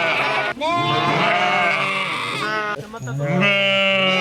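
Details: Sheep bleating: a quavering, harmonic-rich baa runs nearly continuously, a break near half a second, then a lower wavering bleat, with overlapping calls suggesting more than one animal.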